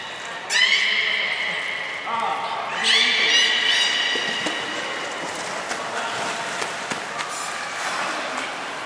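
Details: At Port of Nagoya Public Aquarium during a 2018 training session with Nana and Niko, a beluga gives two loud, stacked harmonic squeals a couple of seconds apart, followed by fainter chirps amid crowd chatter.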